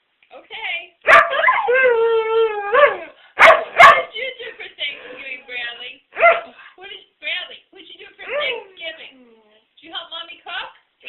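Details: A pet dog 'singing': a drawn-out, steady harmonic howl lasting over a second, followed by sharp bursts and shorter wavering yips, with people talking throughout.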